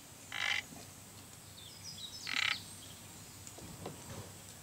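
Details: Sado frog, a new species found on Sado Island, giving two short, buzzy, pulsed rasps about two seconds apart. Faint high bird chirps sound in the quiet background.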